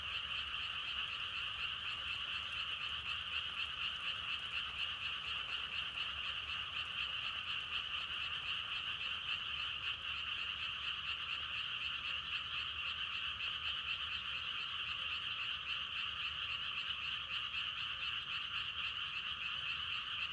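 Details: Dense, uniform frog chorus croaking without pause for twenty seconds, fast trilled pulses merging into a bright steady wash of sound with almost no background noise.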